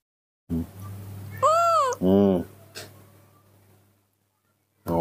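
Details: Hand-raised baby monkey throwing a tantrum while drinking milk in the morning, giving a high arching whine followed by a louder harsh cry, with a steady low hum and a woman speaking.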